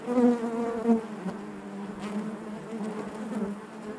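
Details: Low hum of honey bees in their hive, opening with two loud, clear buzzes from a bee flying close, then settling into an even, wavering drone.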